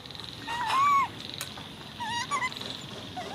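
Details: Baby monkey screaming: two high, squealing whistled cries, each arching up then sliding down, the first drawn out and loud, the second shorter about a second later, with faint quieter squeaks after.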